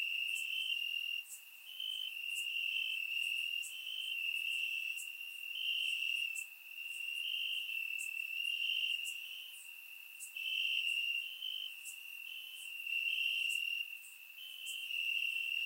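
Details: On a warm summer night in Bulgaria, crickets chirp in the grass, caught by a surround microphone: a continuous shrill trill pulsing in slow waves of loudness, dotted with short bright clicks roughly once a second.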